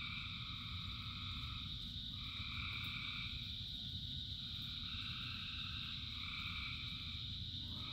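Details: A rain-soaked frog chorus, described as thousands singing: drawn-out layered buzzy notes swell and fade in turns over a continuous high whine of distant callers, with steady low rumble from falling rain.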